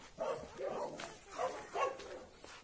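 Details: Two Labrador Retriever brothers, Oscar and Graf, from the same litter but raised in different families, meet and play after about two to three months apart; four short mid-pitched barking yelps in quick succession, evenly spaced, with a quiet room behind.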